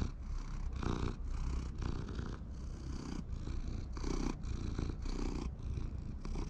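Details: Community cats living together in a park, purring while being petted; a steady low rumbling purr runs throughout in rhythmic breaths, with soft rustling of handling.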